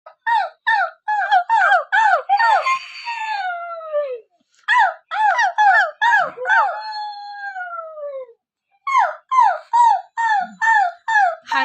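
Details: Pet Husky howling in bursts: rapid series of short, arched yelping notes broken by two long wavering howls sliding downward, then another run of quick yelps; no other clear sounds.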